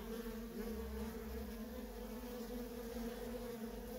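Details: Continuous humming of many worker honey bees coming and going at a feral colony; an even, unbroken drone with two strong tonal bands and a faint low rumble beneath.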